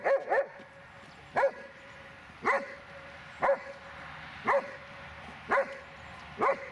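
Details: Dobermann barking steadily: an opening quick double bark, then single loud, sharp barks repeated about once a second, each with a clear ringing tone and short echo, over a quiet background.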